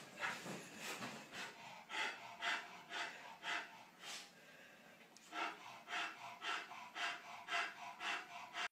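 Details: Indoor dog exploring a bed for the first time, breathing in quick rhythmic sniffs and snorts, almost two per second, with a brief pause in the middle.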